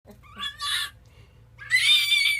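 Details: An 11-week-old fennec fox gives high, harsh squealing calls in short bursts with a pause between. The owner says it sounds like a dog and goes on all day.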